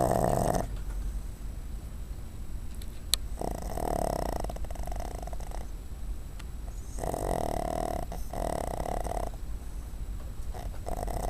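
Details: Cuddles, a female pet dog, sleeps on a desk indoors, snoring in slow, rough, raspy breaths every two to three seconds, each swelling then fading, with low room hum between.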